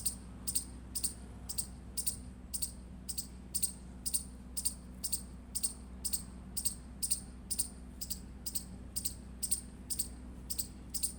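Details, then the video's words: Indian palm squirrel giving a fast run of piercing high chirps, about two per second, evenly paced over a constant low background hum. "Indian Squirrel Chirping Sound Effect"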